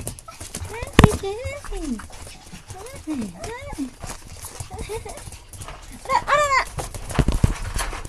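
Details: Cheerful puppies give a string of high, whining yelps, each an arching or falling slide, in short bursts with a busy cluster near the end, mixed with human speech and background clatter.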